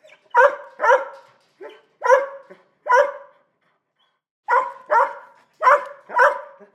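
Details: Small dog giving loud, bright barks in two bursts of four, separated by a pause of about a second and a half, with clean silence between.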